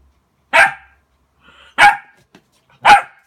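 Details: A Border Collie reacting to its mirror reflection gives three loud, clipped barks roughly a second apart, with faint soft sounds in the gaps.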